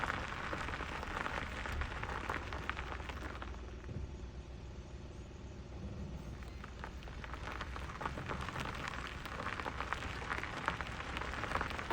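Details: Crackling outdoor rumble and handling noise at a Botswana game reserve, without any distinct animal call.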